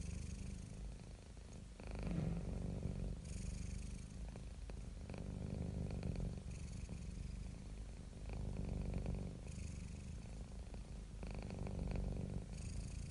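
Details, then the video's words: Domestic cat purring, one of several cats and kittens relaxing: a steady low rumble with breathing cycles, louder on each phase roughly every one and a half seconds, close and continuous. "CAT PURRING SOUND EFFECTS"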